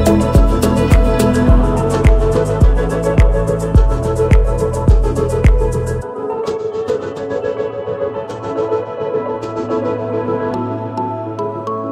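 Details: Instrumental music with a steady rhythmic beat for the first half, then softer sustained ambient tones, with no animal voice heard.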